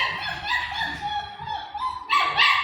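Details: : A 40-day-old German Shepherd puppy whines in drawn-out, high, tonal notes that waver and rise. A sharper, louder yelping whimper comes near the end.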